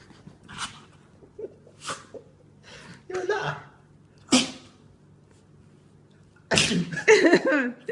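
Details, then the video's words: Rescued pet dog with cancer in a spinning sneezing fit, making himself dizzy: four sharp, breathy sneezes spaced roughly a second apart, a quiet pause, then a person talking over him. "Dog has Spinning Sneezing Fit!"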